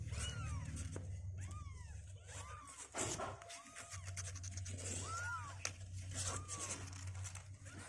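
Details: Kittens about two weeks old, getting stronger and refusing to sit in their box, utter a few thin arched mews spaced about a second apart over rustling, handling noise and a steady low hum indoors.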